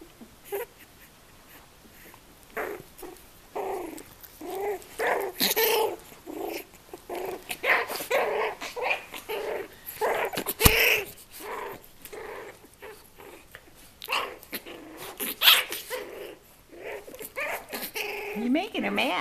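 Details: Twenty-day-old puppies romping with their mother Mia, giving many short rough growls and squeaky yips in quick bursts throughout, with scuffling and a man's voice talking to them.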